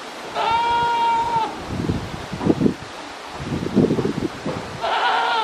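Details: Goat standing on scaffolding, recorded at 9:12 in the morning on 19 November 2019, gives a drawn-out, steady, tonal bleat near the start. Rustling and shuffling noises follow, then a second bleat begins at the end.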